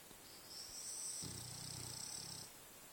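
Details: A French Bulldog asleep and dreaming after a long, adventurous day in the forest. One soft, low, buzzy snore lasts just over a second against a quiet room with a faint steady high-pitched whine.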